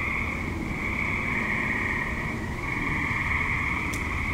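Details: Suburban tree frogs at dusk and night, active and calling together as an unbroken high-pitched chorus of overlapping trills at an even loudness, with a soft low rumble in the background.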